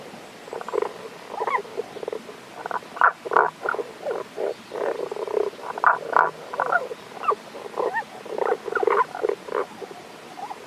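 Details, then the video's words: A hidden Tago's brown frog at a Kanto-region stream, Japan, 1 April 2021, gives a continuous string of low, gruff pulsed croaks, several per second, rising and falling in loudness. "タゴガエルの鳴き声（関東地方 '21.4.1.）Cries of Tago's brown frog"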